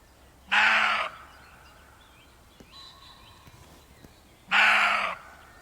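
A deer gives two harsh, hoarse barks about four seconds apart.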